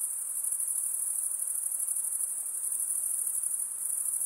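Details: Insects at night produce an unbroken shrill, high trilling drone, steady in loudness with slight pulsing, over a faint lower hiss.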